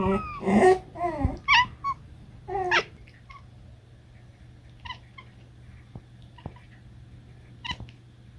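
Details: Domestic cat talking: opens with several loud, harmonic, bending meow-like chirps in quick succession, then softer, brief, high chirps repeated roughly once a second, against a faint low hum.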